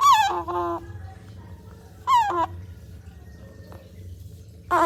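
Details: A baby otter drinking cat's milk gives loud, shrill squeals that slide downward in pitch, repeated in short bursts.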